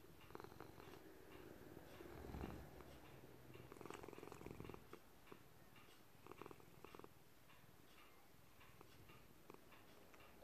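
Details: Indoor gray-blue male cat, a senior rescue, purring as he kneads: a continuous low, throbbing purr that swells briefly near two seconds, with scattered clicks and rustling throughout. A clock ticks and traffic hums faintly.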